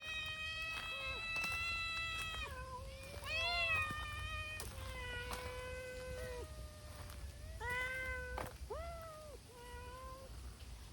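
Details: Several abandoned community cats, a brown-tabby-and-white group, gather noisily while a volunteer feeds them; many overlapping drawn-out meows, some rising and some falling, follow one another closely with few pauses, over a low background rumble.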